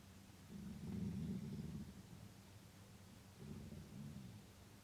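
Deep, throaty growling from a wolf comes in two bursts, the first longer and louder, the second softer after a short gap. The sound stays low and rough throughout, with no rising howl.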